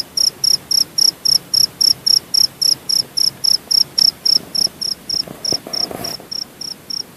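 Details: Javanese cricket from Purworejo, Central Java, Indonesia, chirping in rapid, very regular high pulses, close to four per second, steady throughout with a faint rustle underneath.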